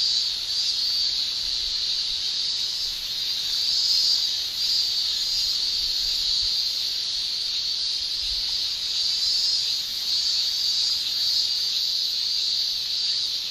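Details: Summer chorus of male cicadas in Japan: a dense, steady, high shrill hiss held without a break, swelling slightly now and then, with no other clear sounds.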